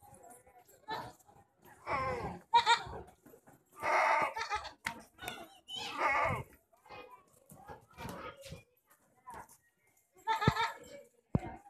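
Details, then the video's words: Jamnapari goat bleating in several loud, wavering, harmonic bursts of about a second each, spread across the recording, with human voices talking in between. "Jamnapari goat"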